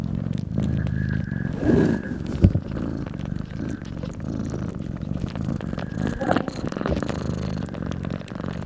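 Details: Nursing mother cat with newborn kittens keeps up a low, rough purr beneath louder rustling and a sharp knock, with a short high squeal midway.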